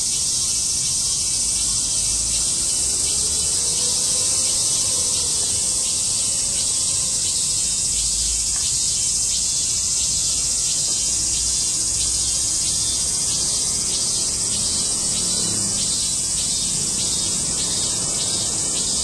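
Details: A chorus of cicadas in August 2008 fills the air with a dense, shrill, continuous buzzing that pulses rapidly without pause.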